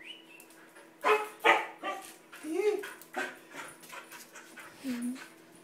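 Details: Siberian Husky welcoming its owner home after days without seeing him: scattered excited yips and a couple of short, wavering whines, with background chatter.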